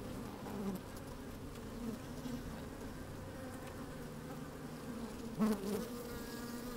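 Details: Honey bees working inside an open hive on a fine, sunny day, microphone slid down among them: a steady low hum with banded overtones, a brief louder buzz near the end, light wind.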